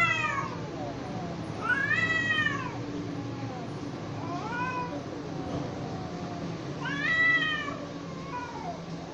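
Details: Two cats fighting, with loud arching yowls separated by quieter, lower moaning calls; the wails rise and fall steeply in bouts a few seconds apart.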